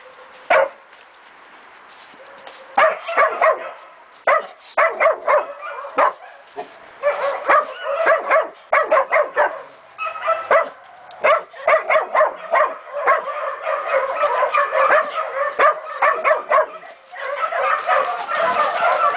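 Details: Catahoula and Black Mouth Cur pups aged 16, 11 and 14 weeks, including Deuce, baying a pig at Golden Creek Catahoulas Kennel; bursts of sharp, overlapping barks and yips, sparse at first, then dense volleys, from several dogs at once.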